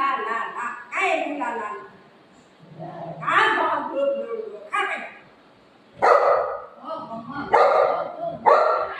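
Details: Pet golden retriever and shih tzu puppy fighting: human talking fills the first half, then loud, harsh barks burst out three times in the last three seconds.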